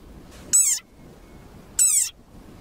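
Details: Desert rain frog (Breviceps macrops), war cry: angry defensive cry.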